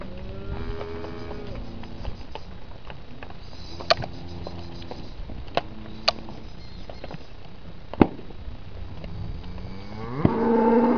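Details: Hereford cattle, from a group of eleven pregnant cows and ten yearling calves. Several low, harmonic moos sound near the start, midway and again at the end, where the last one is louder and rising. Sharp knocks and steady background noise run throughout.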